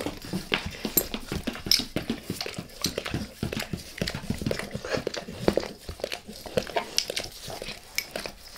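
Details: A dog licking its owner's face up close indoors: dense wet smacking and slurping tongue sounds, rapid irregular clicks repeating several times per second, no talking.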